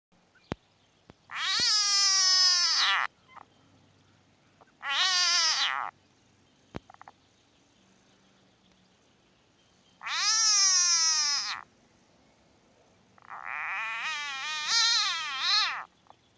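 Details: Southern bell frog (Litoria raniformis) gives loud, wavering, cat-like squeaking screams as a distress call when gently squeezed as a threat, before being released.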